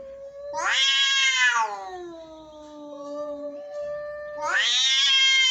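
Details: Angry cat yowling: a loud, rising, strident wail that falls into a long, low, drawn-out moan, then swells again into a second harsh, high yowl.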